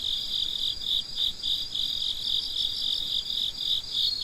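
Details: Crickets at midnight, a steady high chirping pulsing about three to four times per second in a continuous chorus, with faint higher buzzing above and no other sounds.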